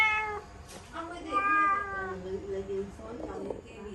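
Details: Kitten at home, stuck in a laundry basket, lets out a drawn-out, wavering meow of about a second, softer than before, over low murmuring and light shuffling sounds.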